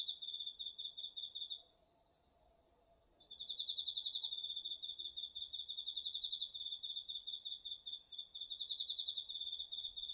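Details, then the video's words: Autumn night insects, crickets among them, chorusing in a garden vegetable field, captured with a DR-40X recorder; shrill, rapidly pulsed chirps break off for about a second and a half, then return in a steady stream. "秋の虫の声 ASMRでおやすみなさい 〜虫の音を枕元で聞いてね〜 こおろぎ他"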